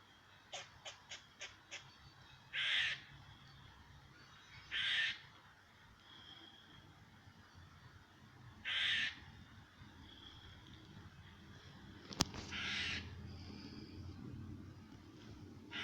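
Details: A squirrel directs a rapid run of dry clicks, then loud, harsh, nasal rasps at irregular gaps of a few seconds, at a cat; a sharp tap and faint background noise are also heard.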